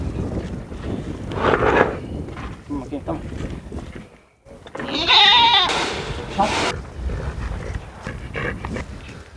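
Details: A penned goat at an open-air heritage museum in Fuerteventura, Canary Islands, gives a wavering, nasal, slightly rising bleat at feeding time, with chickens nearby. A person talks almost throughout, and other farm noises sound faintly.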